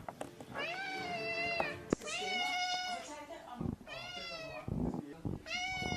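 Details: Domestic cat indoors, giving four drawn-out, tonal meows, each about a second long and slightly wavering, separated by short pauses and soft handling noises in a small room.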